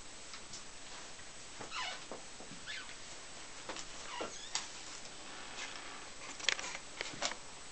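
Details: Four-week-old German Angora kittens of a P litter roam their playpen under the care of their mother Äffchen; several short high mews sweep up and down, scattered between soft rustling and clicks.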